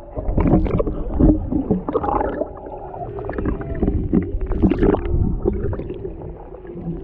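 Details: Humpback whales off Maui, Hawaii, mother and calf near a boat with a male close by, heard through a GoPro Hero 7 Black underwater; short wavering tonal cries and moans among bubbly gurgles and low boat rumble.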